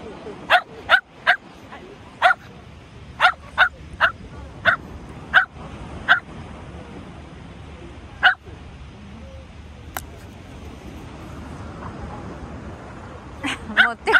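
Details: Shetland Sheepdog named Tsumugi playing ball with a golf-playing man, giving sharp, excited single barks in an irregular run of about a dozen over fourteen seconds, with a quiet pause mid-way and a burst at the end.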